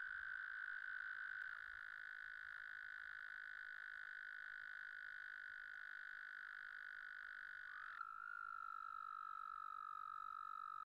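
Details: Trilling male American toads (Bufo americanus) in mating song. One long, even, high-pitched musical trill lasts about eight seconds. Another male's slightly lower trill takes over and continues steadily.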